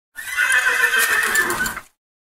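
A horse gives a loud, shrill neigh lasting under two seconds, wavering as it fades.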